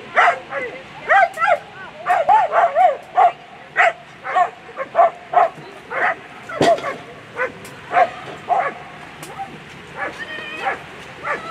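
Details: German Shepherd competing in a world championship agility final, a rapid run of excited yelping barks and whines, fast and uneven, with crowd noise and faint voices behind.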